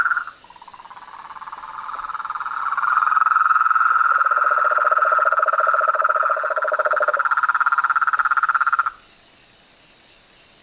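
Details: Chorus of frogs, toads and tree frogs: a fast buzzing trill swells in after two seconds, a deeper pulsed trill overlaps midway, and everything stops near nine seconds, leaving a faint high hum and one short click.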